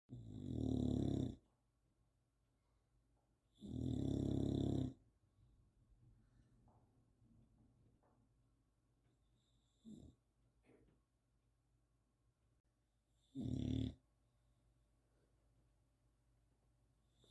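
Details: An Old English Bulldog snores in deep, rattling, raspy bursts separated by quiet breathing, her snoring waking herself up.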